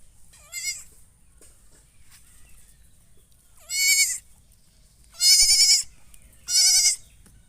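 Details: Goat calling with four quavering bleats: one short and softer at the start, then three loud, harsh bleats, each under a second long and about a second apart, against a still background.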